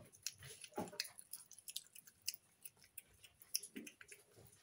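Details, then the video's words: A Snow Lynx Bengal cat, a female pet kept indoors, eating loudly: quick crisp crunches and sharp clicks of chewing in close succession, in a small quiet room. "SUCH LOUD EATER Snow Lynx Bengal Cat Eating Sounds ASMR"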